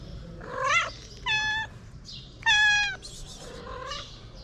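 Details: Hungry three-legged feral cat meowing for food, a series of clear harmonic meows, some flat and held, others rising then falling, spaced about a second apart, with quiet hiss underneath.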